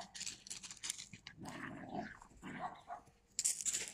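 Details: Yakutian Laika filmed in September 2020, barking in short, rough bursts with some gruff lower tones, irregularly spaced over a few seconds, with some hissing noise at the start.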